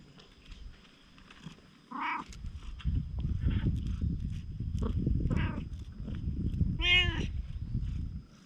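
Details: Stray cat, wary at first, gradually turning affectionate with bold poses, filmed on a GoPro HERO8. Dense low rumbling purr runs steadily from about 2.5 seconds, with a short meow near 2 seconds and a clear, higher meow near 7 seconds.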